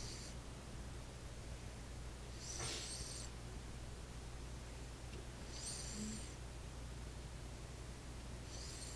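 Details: Sleeping cat named Roxy snoring, each breath a soft breathy hiss repeating roughly every three seconds against a constant low background hum.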